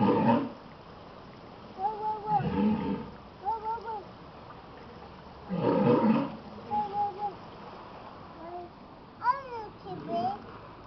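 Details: Walrus in captivity at Pt. Defiance Zoo & Aquarium in Tacoma, Washington, calling as his female companion appears; rough broadband roaring bursts alternate with wavering tonal moans and upward-sweeping notes, with a woman talking nearby.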